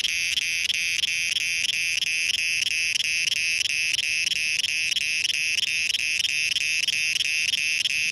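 Cicadas keep up a loud, shrill, ringing buzz that pulses about three times a second.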